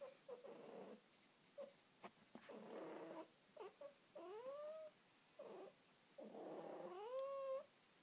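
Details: House cat tucked under a blanket, uttering soft chirrups and short trills that build into two clear rising meows, the last one long and bending upward then down.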